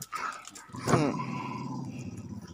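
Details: Male Labrador Retriever and American Staffordshire Terrier mix, about two years old and still growing, letting out a low, rumbling growl that follows a brief sharp sound and holds steady for about a second and a half.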